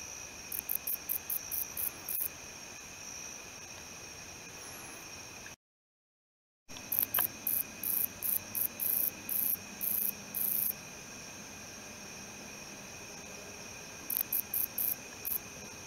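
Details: ['Male wingless meadow katydid (Odontoxiphidium apterum) stridulating: short, very high-pitched buzzy bursts in rapid clusters, pausing between series, with a brief total dropout in the middle and steady faint background hum.']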